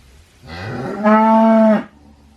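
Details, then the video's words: Short cow moo starting as a soft breathy rise, then swelling into a loud, steady, strongly harmonic tone for under a second before stopping abruptly. "COW SOUND EFFECT 소 울음소리 모음 효과음"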